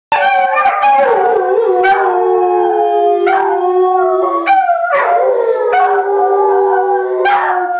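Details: Two pet dogs of different breeds, a miniature pinscher and a boxer-pit mix, howling together at home: overlapping long sliding howls, one falling steadily lower, the other higher and wavering, with short yelping bursts between.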